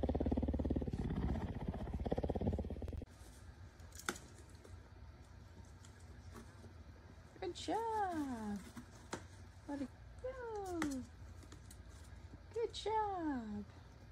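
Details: Domestic cat giving three drawn-out meows, each sliding downward with rich overtones, spaced a couple of seconds apart, after a loud rumbling burst at the start and a few sharp clicks in between.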